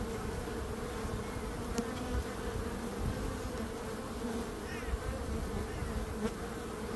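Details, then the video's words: Bees produce a constant low buzzing drone, heavy in the bass, with faint fluttering passes of single insects rising briefly above the steady swarm hum. "Relaxing Calming Bees Sound"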